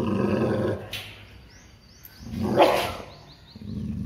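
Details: Fear-aggressive Labrador: a low growl, a sudden harsh snarl or bark in the middle, then the growl resumes, with faint bird chirps above.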